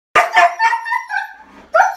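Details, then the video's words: Two Siberian Huskies in a house, vocal while their owner asks who made a mess; short yelping, talking-style howls with wavering pitch, several bursts over two seconds. "Huskies Arguing About Who Made The Mess"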